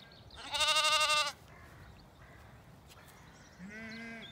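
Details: Lambs and ewes feeding at a dry dawn on a farm in County Kilkenny, Ireland; one loud, strongly harmonic wavering bleat followed after a pause by a lower, softer bleat, with quiet pasture sounds in between.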